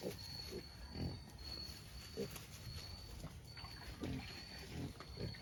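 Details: Free-range native black pigs in Albay, short low grunts at irregular intervals, roughly every second, over a dull rumbling background and a thin high whine.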